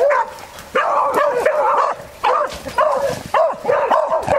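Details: Yelping beagle working a wild boar: bursts of rapid, high, bent yelps, several notes run together in each burst, separated by brief silent gaps.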